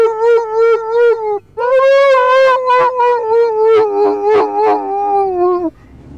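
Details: Singing Irish Wolfhound named Liam giving a series of tuneful howls: a wavering first note, a brief break, then a long higher howl broken into pulsing, yodel-like segments that slowly fall in pitch.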